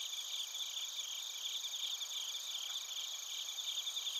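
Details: Night chorus of bell crickets and crickets in Narita, Chiba, Japan, taped with a TASCAM Portacapture X8: dense, even, high-pitched ringing pulses from many insects blending into a continuous shimmer.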